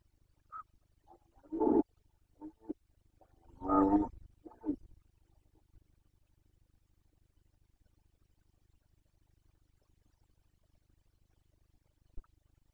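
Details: Carpathian red deer stag in the breeding season of 2021, Bucovina, roaring in the rut: two loud harmonic bellows about a second long, with shorter grunting bursts between them, then quiet with a faint click near the end.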